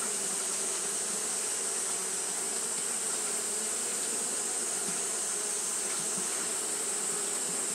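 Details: Fanning Japanese honey bees on a hot day keep up a thick, even drone of wingbeats, with faint fluctuations and a constant shrill hiss above.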